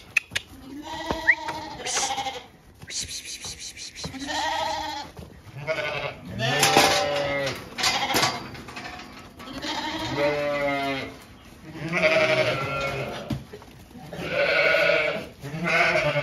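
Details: Weaned Zwartbles lambs on a farm in County Kilkenny, Ireland, called out and moved to fresh pasture; a near-continuous chorus of overlapping bleats from many lambs, with a woman calling them and background music.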